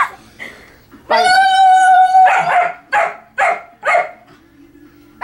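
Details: Pet dog in a barking match with a person who barks back at it: a long drawn-out, tonal yelp, then four sharp barks about half a second apart, with a human voice nearby.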